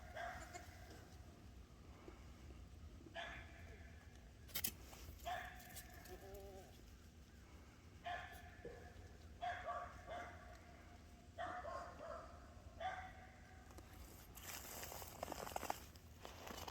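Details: Seven-day-old Boer goat kids, out walking and hopping after their mother on a cold morning with unmelted snow; several short nasal bleats with stacked harmonics scattered through, rustling footsteps and a man talking quietly.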